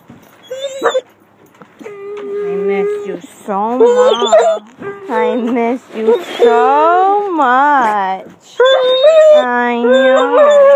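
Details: Seven-year-old Basset Hound, with a cocker spaniel and a mixed-breed dog also present, greeting its owner home from vacation. Loud, wavering, melodic howls and whines rise and fall in long, bending phrases, broken by short gaps and brief squeaky yips.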